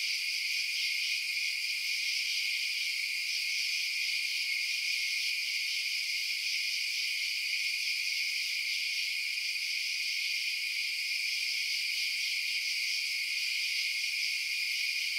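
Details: Crickets at night keep up a constant high, buzzing shimmer of overlapping chirps, unchanging in level over the whole stretch, with no other animals, wind or voices.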